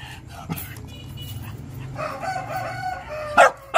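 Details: Shiba Inu; bark; begging for food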